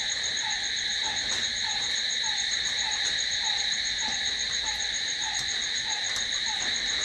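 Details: Nighttime cricket chorus, a continuous shrill ringing in layered high bands. Lower down, a brief drooping note recurs at a steady pace throughout, with faint clicks now and then.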